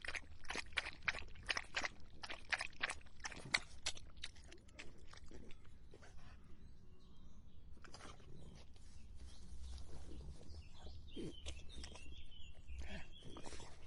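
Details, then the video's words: Lapping of a drinking dog: quick clustered clicks in the first seconds, then sparser splashy laps, all over a low background rumble. "Dog Drinking Sound Effect"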